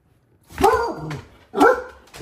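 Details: A male chocolate Labrador Retriever, normally calm and half asleep on a window seat, gives two loud, tonal barks about a second apart, excited on seeing his owner pull into the driveway.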